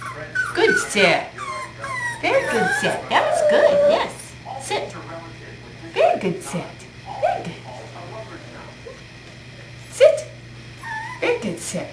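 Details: Five-week-old puppy Whiskey, born 12-5-11 to Star in her fourth litter and recorded 1-13-12, lets out scattered short whines and yips between bursts of human speech. A soft steady hum runs in the background.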